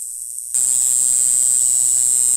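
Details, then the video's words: Black-winged grass cicada (Mogannia formosana), Green Island form, Green Island, Taiwan, April: following a low muffled hum, a loud, shrill, high-pitched buzz switches on abruptly after half a second and runs steadily, with an electrical-sounding hum underneath. "黑翅草蟬（綠島型） 蟬鳴聲"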